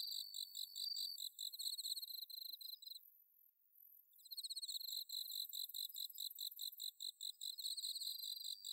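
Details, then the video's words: Autumn-night bell cricket song from paddy fields at Inba-numa, Chiba Prefecture, Japan, captured on a Zoom H6: rapid high tinkling pulses, a brief pause near the middle, then dense chirping returns. "秋の虫の鳴き声 スズムシ コオロギの鳴き声"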